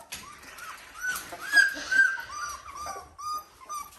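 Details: Seventeen-day-old Dalmatian puppies settling indoors; clear high whining cries, each a short arching squeal, repeated about twice a second, louder bursts in the middle, with faint rustle and bedding noise.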